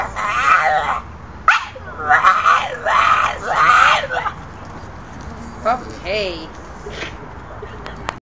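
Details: Staffordshire Bull Terrier making an unusual noise: a run of wavering, whine-like howling bursts over the first four seconds, then a pause and a few short, quieter squeaky yelps near the end.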